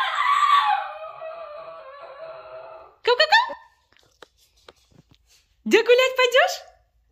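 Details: Indoors before a walk, the basenji Makena answers back with a long, sliding, wavering wail, then after a quiet pause two bursts of rapid yodelled yips that rise in pitch. A woman speaks Russian about a walk.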